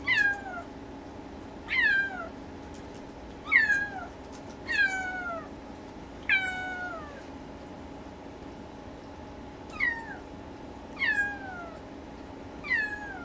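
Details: Young Siberian kitten, newly arrived and apparently missing its mother, calls repeatedly indoors: about ten plaintive, high-pitched falling meows at irregular intervals of one to three seconds, with a constant faint electrical hum behind.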